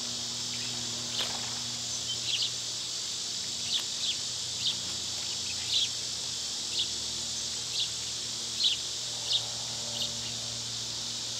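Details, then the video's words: Summer cicadas keep up a continuous shrill drone as a bird cuts in with short, sharp chirps roughly once a second. "Cicada sounds"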